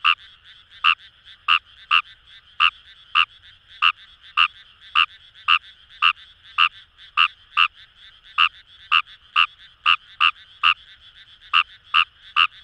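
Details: Wild Fejervarya kawamurai frogs in paddy fields of Itoshima, Fukuoka, Japan, giving crisp croaks at an even pace near two per second, over a constant soft background chorus.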